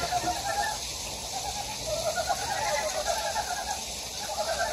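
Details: Frogs call in a steady, pulsing chorus over the hiss of rushing stream water in a valley of Gyejoksan mountain, Daedeok-gu, Daejeon, South Korea.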